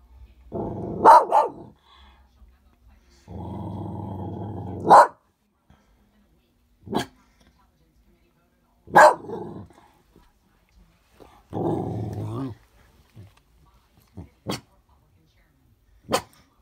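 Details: Barking at the snow, Loki alternates sustained low growls with loud single barks, then short quieter yips spaced farther apart toward the end.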